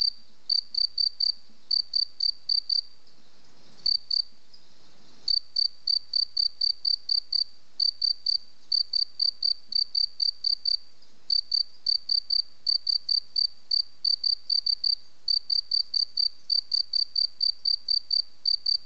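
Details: Long run of cricket song: shrill, evenly spaced high chirps in clustered trains, interrupted by a longer pause with faint rustling near four seconds, then resuming steadily.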